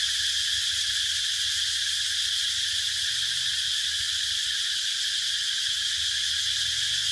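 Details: Steady high whirring of cicadas, an even sizzling tone with rapid fine pulsation and no pauses.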